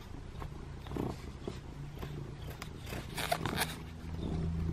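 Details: Butters the cat, following into the bathroom for affection, gives a low rumbling purr that swells toward the end, mixed with fur rustling and light handling noises.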